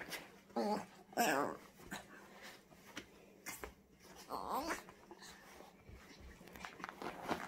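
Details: Female French Bulldog puppy, nearly five months old, making strange noises while playing alone indoors during a puppy freak out: short squeaky, wavering yelps and grunts in scattered bursts, with rustling between them.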